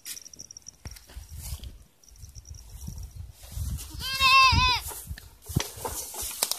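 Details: Watering goats on a farm: a steady low rumble of background noise, then one clear bleat lasting under a second with a trembling, nasal quality, followed by more rustling.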